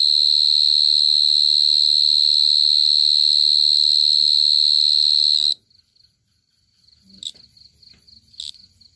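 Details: Close-up cricket from 2022: a steady high ringing trill runs for over five seconds, then cuts off abruptly, followed by a few brief faint chirps and quiet background rustle.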